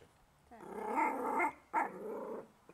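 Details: Cat friends Niuniek, on a leash, and Whitey, a black kitten, fighting and playing in a garden on a sunny day; a low, harmonic, drawn-out growling yowl in two phrases of about a second each, separated by a short pause.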